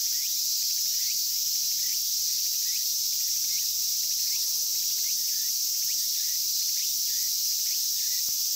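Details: Cicadas in a park at Inagi, where they are caught by hand: a steady, dense, sizzling high buzz fills the whole clip, with faint short chirps repeating above it about every second.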